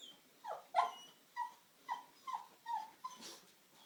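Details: Oscar, an eight-month-old pug puppy, reacting to a vacuum cleaner: a run of short whining yelps, each dipping in pitch, repeated about every half second, faint and indoors.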